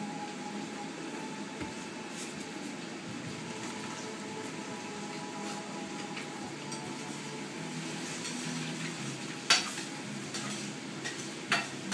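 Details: Low indoor hiss with a faint steady tone and a few sharp knocks or clicks, and no animal calls.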